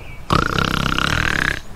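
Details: A Northern Leopard Frog calls in spring at The Ridges Sanctuary, Door County, Wisconsin: a low, rattling snore-like call, a rapid stream of creaky pulses over a second, likened to fingers rubbed on a full balloon.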